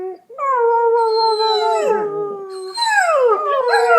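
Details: Dog howling like a wolf: a steady, sustained mid-pitched tone held for about two seconds, then a second voice joins with a falling, wavering wail.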